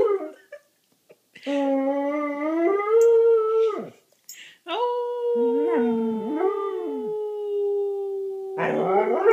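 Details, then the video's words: A young German Shorthaired Pointer, eight months old, joins its owner in a howl. After a few short yips, long sustained tones climb slightly and drop away. A second drawn-out note glides gently downward, with wavering sounds beneath it. "Howling GSP"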